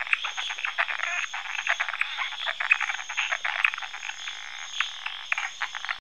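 A dense frog chorus of rapid, rattling croaks, many males calling over one another to attract mates.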